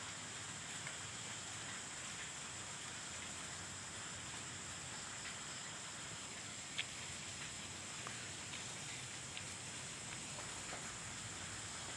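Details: Quiet, even rain hiss throughout, with a high steady whine and scattered faint drip-like ticks.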